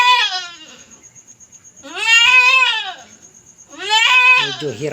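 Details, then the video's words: Domestic goat kept by its owners, a young female giving birth for the first time and having a hard labour, bleating in three long, wavering, harmonic cries about every two seconds, with a man talking and a steady high tone throughout. "First time manganak ng ating alagang kambing"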